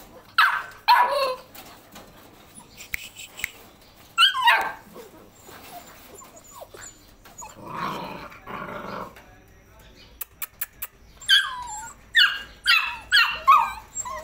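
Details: Labrador Retriever puppies giving high, wavering whines and short yelps in scattered bursts, a rougher broadband cry in the middle, and a quick series of rising whimpers toward the end over a quiet background.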